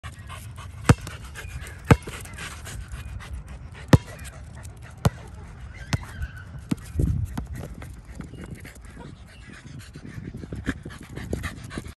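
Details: A corgi playing ball pants in low, rapid breaths, punctuated by sharp clicks and thumps.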